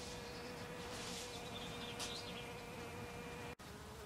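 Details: Western honey bee visiting snowdrop flowers, a steady, even buzz held through the whole stretch, dipping briefly near the end, with a faint hiss of background noise.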